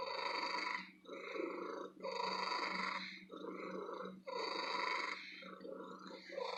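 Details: Loud, contented purring from a female cat living in an antique shop: a rough, buzzy rumble pulsing in swells about every two seconds, separated by brief quieter inhales, a steady electrical hum in the background indoors.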